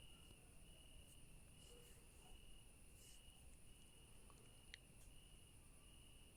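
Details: Crickets calling at night in a garden among yellow flowers and daisies: an unbroken, steady high-pitched trill holding one even tone, with a fainter, higher shimmering band above it, over a soft low rumble and a brief click near the end.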